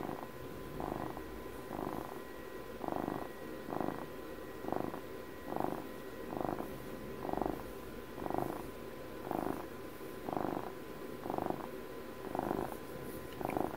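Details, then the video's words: Steady purring of a pet cat aged twelve, a buzzing rumble pulsing in even bursts close to once per second throughout, each pulse rising and falling smoothly, over low constant hum. "ASMR CAT PURRS"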